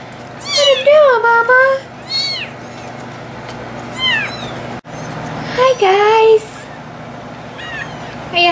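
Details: Abandoned two-week-old bottle-fed kittens waiting to eat call out with high, wavering meows that slide downward, given in bursts of two or three with short pauses, several overlapping cries, steady low hum beneath.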